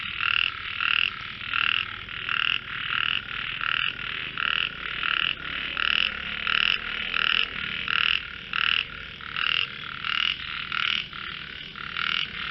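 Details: Frogs singing together in what is called a melodious voice competition, with rhythmic, rasping croak bursts that pulse evenly about twice per second above a continuous background chorus.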